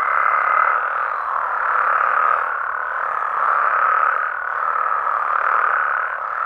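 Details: Nighttime chorus of Mexican frogs and toads, a thick continuous croaking drone that pulses in slow waves roughly every two seconds, plus a brief high thin tone at the very start.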